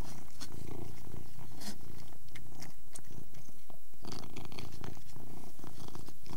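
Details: Domestic Persian cat purrs as it eats, a low rolling rumble steady under scattered wet clicks and smacks from its mouth, with a couple of brief breaks in the purr.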